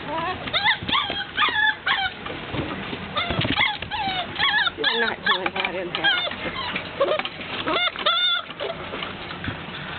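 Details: A litter of Golden Retriever puppies clamouring to get out: a busy mix of high wavering whines, short yips and squeals, many callers overlapping throughout.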